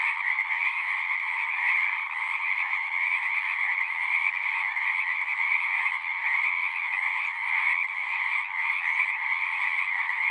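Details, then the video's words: Unbroken chorus of frogs, a thick buzzing trill pulsing slightly in loudness, with mid and high layers sustained throughout and nothing else audible. "One hour of singing frogs."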